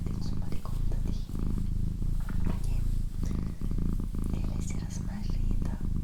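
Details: Domestic female cat purring, a deep continuous throbbing hum rising and falling in breath-length waves, accompanied by quiet whispered speech and small tapping noises close to the microphone.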